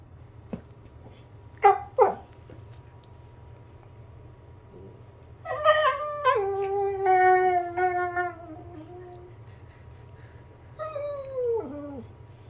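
A Basset Hound gives two quick yips, then a long, wavering howl that slides downward.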